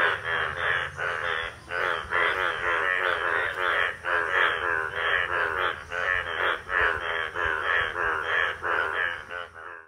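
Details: Indian bullfrog in a village pond at monsoon, the breeding season, when males turn yellow and show two blue vocal sacs; loud, harsh, nasal croaks pulse steadily about three times a second throughout, rich and buzzy, with a faint low hum beneath.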